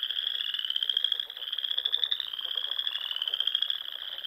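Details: Spring frog chorus at the ponds of Nebraska's Sandhills at dusk; densely layered high trills run without pause, briefly softening after one second before swelling back into a steady ringing drone.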